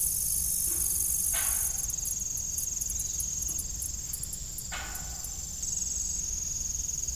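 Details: Evening crickets at an old farm with a disused windmill: a steady, very high shimmering chorus with brief, rapid pulsed chirps over it. Occasional short creaks or scrapes and a low rumble sit beneath.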